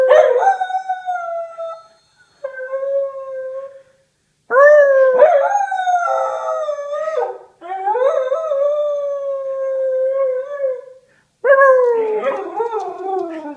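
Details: Pet whippet bitch howling in long tonal stretches, each held a second or more, some gently wavering, separated by sudden silent breaks where the sound stops mid-howl before resuming.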